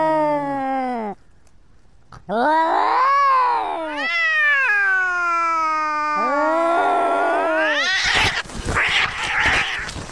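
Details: Cat giving a loud, drawn-out caterwaul: long wavering wails that rise and fall in pitch, with a short silent gap after the first, ending in harsh noisy hissing; a person exclaims beforehand.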